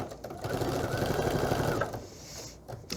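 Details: No animal heard; a sewing machine runs with a rapid, steady mechanical rattle in a small room.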